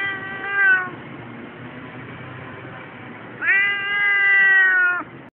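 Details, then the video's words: Keiko, Siamese cat, keeps protesting at the tram station on her way to the annual vet check; a meow trailing off, a long quiet stretch of background hum, then a loud, sustained wailing meow. "Keiko complaining about her Vet trip while at the tram station"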